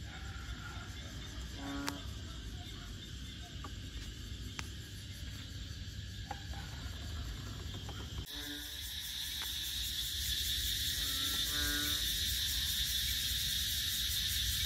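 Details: At Bình Quới on Ho Chi Minh City's Thanh Đa peninsula, frogs give brief, low, ringing croaks, one early then a couple in a quick pair later, while a shrill insect chorus grows louder and fills the background.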